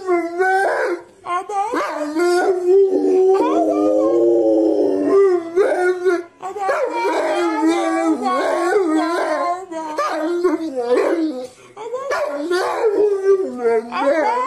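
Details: Pet dog producing 'talking' sounds: repeated expressive howls and yowls with rising and falling pitch, broken by short pauses, including one long steady wail in the middle, in an indoor room.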